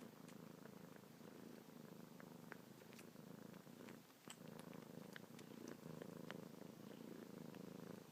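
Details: Kitten Luna suckles on fingertips and purrs continuously, paws moving; a continuous low purr with a brief dip in loudness near the middle and scattered soft wet clicks.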